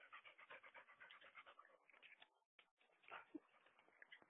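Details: Dog at home, from a household where the mother dog Mali is with her puppies, panting in quick, steady rhythmic breaths for several seconds, then a brief pause and a few rougher breaths. Quiet background.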